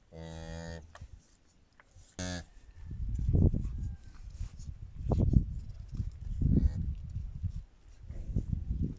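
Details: Brown cow giving birth unaided in a village in Kazakhstan: a steady, rich low moo just under a second long, a brief second lowing call, then heavy shuffling, thumping and rumbling movement noise.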